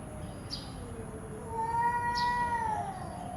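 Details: A domestic cat gives one drawn-out meow lasting just over a second. It is harmonic and mid-pitched, rising slightly and then falling away. Soft clicks and a steady background hiss sit behind it.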